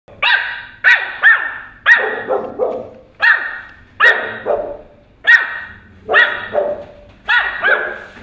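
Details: Pomeranian puppy barking at a huge dog: about ten sharp, high yappy barks in irregular bursts, some doubled in quick succession, each with a short falling tail, over a quiet background.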